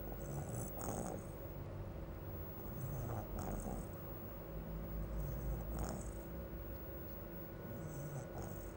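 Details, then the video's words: Bulldog snoring: rough, low snorts in repeated breaths roughly every two to three seconds, with hissy high airflow on each inhale over a steady low hum. "RONQUIDOS DE BULLDOG"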